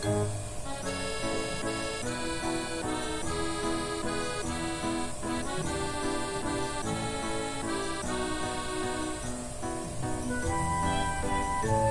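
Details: Lively accordion music plays throughout, with no animal sound heard.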